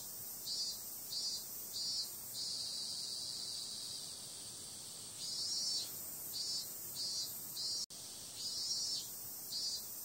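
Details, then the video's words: Summer-night cicadas give a sustained high-pitched buzz punctuated by regular pulsing bursts in repeated series, with an abrupt split-second gap in the sound partway through. "Cicada sound"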